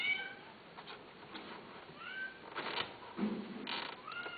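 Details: Several brief, upward-sweeping cat meows broken up by bursts of rustling and thumping noise, with a final rising meow near the end.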